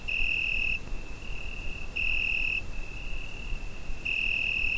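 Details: Continuous high-pitched cricket trill from a summer night, recorded on a Zoom H5, rising into three louder, ringing bursts spaced over the clip, backed by steady low rumbling noise.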